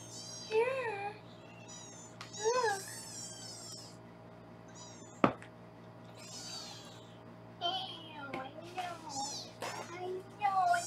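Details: Foster kittens on a live kitten cam in Los Angeles give repeated high, wavering meows at intervals while being weighed; a person talks between calls, with a steady low hum in the room.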